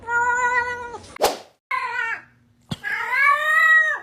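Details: Cat meowing in a funny cat-sounds compilation: three loud, tonal meows, the first flat and steady, the second short and dropping, the last long and rising then falling, separated by a thud and a click.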